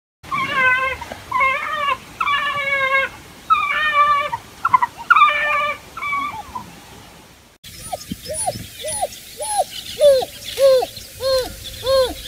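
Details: A single African wild dog whines in a series of short, nasal, harmonic notes, then after an abrupt cut gives rapid, downward-curving yelps against a hissy background.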